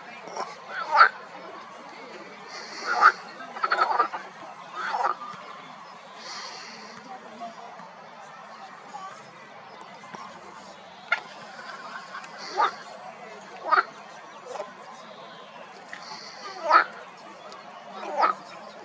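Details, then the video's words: Spring pond chorus of marsh frogs, loud harsh croak bursts spaced irregularly every one to three seconds, some with a brief rattling texture, over a low steady background hum. "Frisky Frogs Croak So Loud!"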